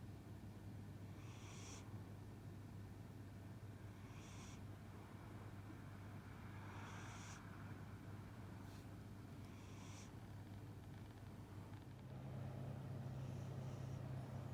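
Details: Cat snoring in its sleep, with chewing-like smacking as if dreaming of a meal: breathy, hissing snores rise every two to three seconds above a constant low indoor hum.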